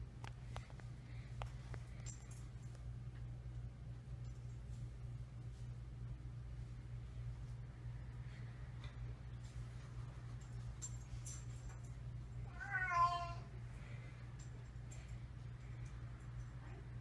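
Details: Boo, a cat at the vet for a yearly checkup alongside Rosie, unhappy with the visit: one short, wavering harmonic meow late in the stretch, otherwise quiet except a steady low electrical hum and scattered faint clicks.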